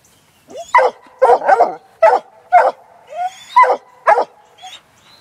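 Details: Six-month-old Black and Tan Coonhound working a laid coon trail, giving repeated short harmonic barks and bawls at an irregular pace, about two per second, with a faint background hum.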